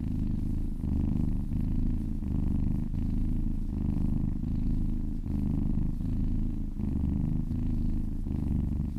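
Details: Domestic cat purring contentedly during a relaxing massage, a deep, even rumble that pulses in regular breath cycles under a second long, carrying on unbroken for about nine seconds in a quiet room.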